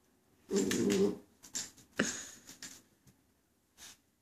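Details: A Border Collie puppy named Coconut, female and just over two months old, reacts to seeing herself in a mirror at home with one short low growl, then soft scuffling taps and clicks in a quiet room.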